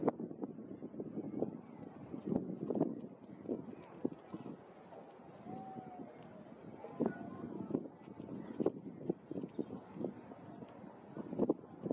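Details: Wind buffeting and low boat or water rumble with faint murmuring, and no animal calls stand out.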